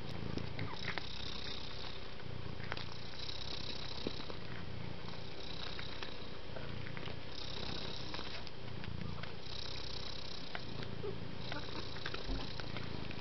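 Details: Continuous deep purr of a gentle domestic cat, breath-paced surges of rumble and breathy hiss roughly every two seconds, with faint clicks and a persistent background hum.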